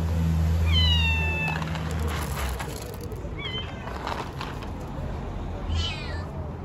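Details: Stray street cats and kittens fed outdoors give short falling meows, a long one early on followed by shorter ones, over a steady low hum and some clattering.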